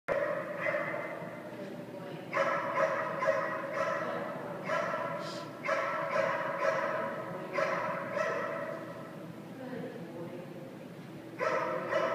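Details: Jack, a dog at a boarding kennel, working on his downs during his stay; loud tonal barks and yelps come in repeated bursts of several seconds, with brief quieter gaps between them.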